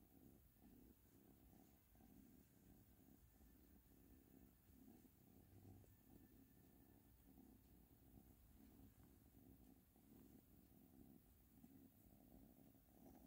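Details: Steady low purring from Ashley, a cat, its rhythmic pulses repeating evenly under a constant hiss of background noise.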